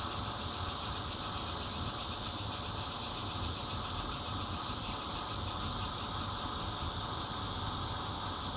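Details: Chorus of bear cicadas, red-veined and intermittent types, taken on a Nokia Lumia 820 at a fourth-floor home in Zhongli, Taiwan, 16 June 2013: a continuous buzzing hiss throughout, overlaid by fast, even, high-pitched pulses.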